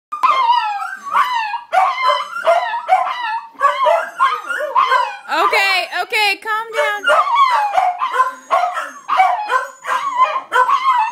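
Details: Corgis, disturbed by sirens, give high, wavering howls mixed with sharp yelping barks, rising and falling in quick overlapping bursts; a pig is also present.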